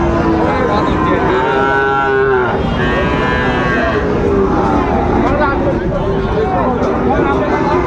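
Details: Sahiwal breed bull calves at the Raniganj haat, 25 July 2024. A drawn-out moo swells in the middle and a second follows, half-buried in bargaining voices and steady market noise.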